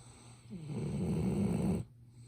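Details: Ibuki, a sleeping Golden Retriever, gives one low, rumbling snore lasting just over a second on an inhaled breath, captured by smartphone at close range as the dog keeps sleeping.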